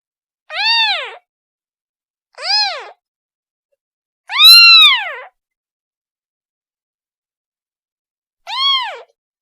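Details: A kitten calls for its mother with four arched, high meows at uneven gaps, the third longest and loudest, with silence in between.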